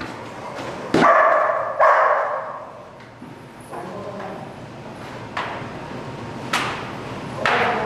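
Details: German Shepherd Dog named Malachai during Schutzhund protection training, February 28th 2010: two loud, deep barks close together near the start, then several fainter, scattered barks over a noisy background.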